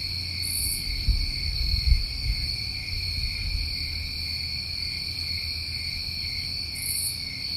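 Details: New England summertime crickets at night, a steady, unbroken high trilling chorus in several layered bands, with brief higher buzzy bursts near the start and end, over a low rumbling thump around one to two seconds.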